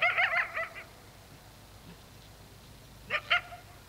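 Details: Coyote at dark giving a rapid cluster of wavering yips and barks, then silence, then two more short yipping bursts near the end.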